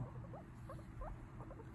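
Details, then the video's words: Guinea pig Mimi chatting: a handful of brief squeaky upslurred peeps scattered across the moment, soft and evenly spaced, with a faint electrical hum beneath. "Guinea pig chatting away"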